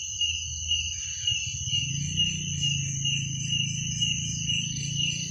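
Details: Crickets at night: steady high, shimmering trills layered in two bands, with soft pulsing throughout, over a low humming drone in the background.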